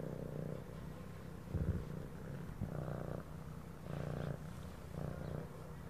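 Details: A pet cat purrs steadily, a deep throbbing rumble rising in louder bursts on each breath, roughly five cycles here, over quiet added background music.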